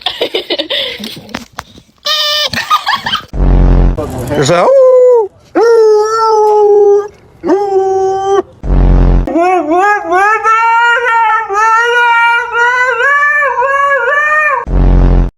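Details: A pet dog making strange noises draws out long, wavering howl-like tones, some sliding upward, broken by short harsh bursts of noise and a person's voice.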